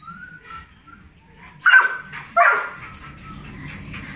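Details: Excited to see his dad, Johnson the Labrador Retriever lets out a high thin whine, then two short loud bark-yelps about a second apart, before fading into soft whining.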